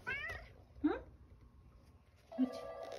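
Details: Male domestic cat that lives in the countryside with an elderly woman, meowing on returning home from a walk. Two short, bright meows, the first wavering up and down, then a steady low hum and quiet indoor room sound.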